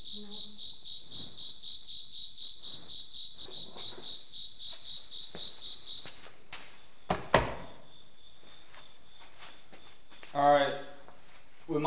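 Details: Cricket chirping indoors during a nighttime paranormal investigation at an Illinois manor, a fast pulsed high trill running steadily for about six seconds before stopping, followed by knocks, thumps and a burst of human speech.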